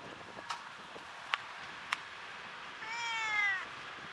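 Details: Talkative tortoiseshell domestic cat giving one clear, drawn-out meow lasting under a second that rises slightly then falls, preceded by a few sharp tapping clicks in a quiet indoor room.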